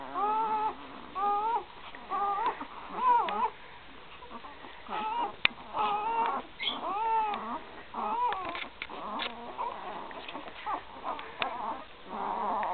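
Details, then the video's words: Newborn Great Dane puppies, three days old, from Gracie's 2012 litter with Newman; bursts of squealing whines roughly once a second, short arched cries in clusters, fading toward a softer, noisier end. "Gracie x Newman 2012 pups 3 days old"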